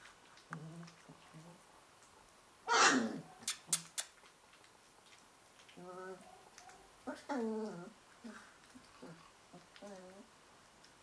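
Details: Indoors at Christmas 2011, Northern Inuit Dog puppies Tikkon and Red grumble in wavering, whiny tones. Brief bends and dips run through the calls, with a sharp clatter early on and a human voice nearby.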